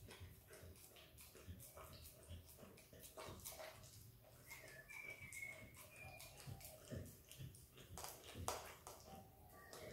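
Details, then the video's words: Eating peanut butter, Izzy the Australian Kelpie x Border Collie puppy makes steady wet licks and smacks, roughly forty a minute and unevenly spaced, with a brief thin whistling whine partway through. "Happy puppy dog licking peanut butter!! Dog licks & eats peanut butter ASMR!"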